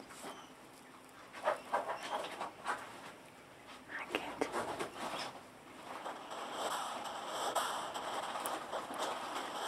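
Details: A hedgehog snorts in quick, breathy puffs, a rough huffing sound repeated several times a second; the snorting is described as a healthy sign.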